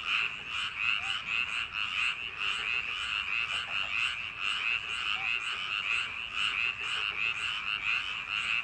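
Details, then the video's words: A crowd of frogs croaking in paddy fields on a summer night. Raspy, rattling pulses overlap into a continuous chorus, swelling in loudness roughly every second, with a few faint short chirps lower down. "여름밤 논두렁개구리소리"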